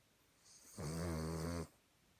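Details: Sleeping Cavalier King Charles Spaniel snoring like a human: one drawn-out, roughly one-second snore, a low buzzing rumble with stacked harmonics and a faint hiss on top, in a quiet room.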